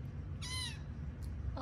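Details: One of five sleepy kittens, found in an office building, at bedtime gives a single short, rising-then-falling harmonic meow, with a woman's voice murmuring before and after and a low background hum.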